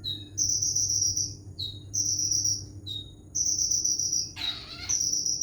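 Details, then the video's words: Cricket giving long, high, shrill, even trills, each about a second long with brief pauses between them, plus one short scratchy rustle near the end over a faint low hum. "Konin isian jankrik"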